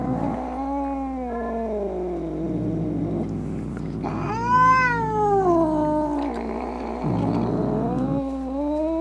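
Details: Angry domestic cat caterwauling to drive off rats, opossums and other cats; long gliding yowls sweep down then climb, with a louder, higher wail midway and a rough growly undertone, a steady low hum behind.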